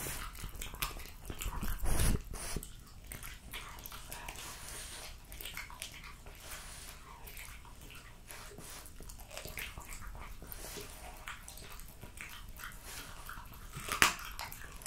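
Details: French Bulldog Jessica finishing a plate of raw lamb cutlets, beef schnitzel and BBQ pulled pork, recorded close up for ASMR: steady moist chewing and licking, a louder crunching burst early on and one sharp click of a bite near the end.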